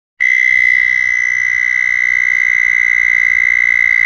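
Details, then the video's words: Southern toad (Anaxyrus terrestris) gives a long, high, steady musical trill, its mating call. "southern toads (Anaxyrus terrestris)"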